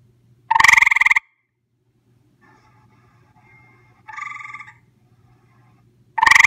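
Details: Gray treefrog visiting a home, recorded close up: loud pulsed trills lasting about half a second to under a second, with a softer, more distant trill between two loud ones and a low steady hum beneath.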